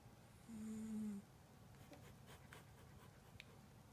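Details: Toy poodle, a household pet, snoring at home; one short low droning snore lasting under a second near the start, then a quiet room with faint soft clicks.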